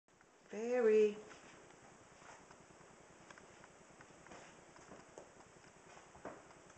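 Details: Persian cat indoors giving a single short meow under a second long, a bright harmonic tone that rises then falls, followed by quiet room noise and a person speaking softly.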